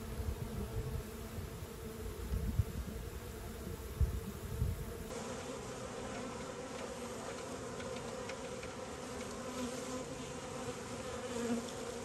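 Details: Bees at work produce a continuous low drone with layered humming tones. Soft rumbling and a few faint knocks sit underneath, and the texture shifts slightly midway.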